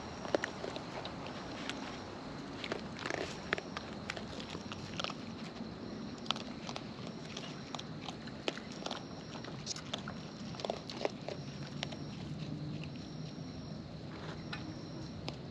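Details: Wild raccoons eating close up, their natural chewing heard as soft, irregular crunchy clicks and smacks scattered throughout over a steady background hiss.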